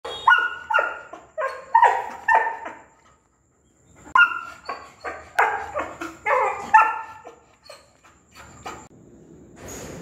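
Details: A female Labrador retriever barks in quick, sharp bursts, several barks each, with a short pause between.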